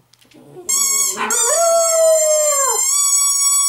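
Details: Female pet dog howling when she misses her owners or wants to wake them: a single clear, high, sustained howl with strong harmonics that holds steady, then drops away after about two seconds.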